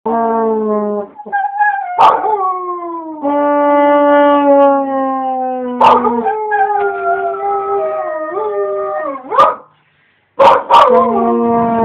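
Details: A 10-month-old husky/Labrador cross howling along to a trombone: long drawn-out tones with a wavering, sliding pitch that bends downward, woven among sustained brass notes, with brief pauses between phrases.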